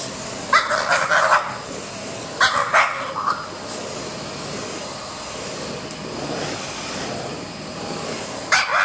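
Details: During its morning routine, a French Bulldog confronts a running vacuum cleaner with squeezed-out, strained barks. Several quick barks come early, a second burst follows, then a long pause filled by the vacuum's drone before one final bark.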